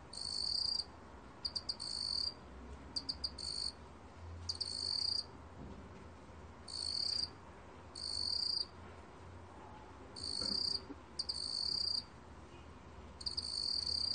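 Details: A field cricket (먹귀뚜라미) recorded by Korea's National Institute of Biological Resources in 2020 sings high, bright trilled bursts, each under a second, at uneven intervals.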